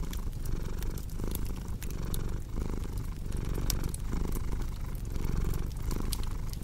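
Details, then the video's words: Domestic cat purring in a steady low rumble that swells and dips with each breath, about one cycle per second, over sharp pops and snaps of a crackling fireplace. "Purring Cat with Cozy Crackling Fireplace Sound"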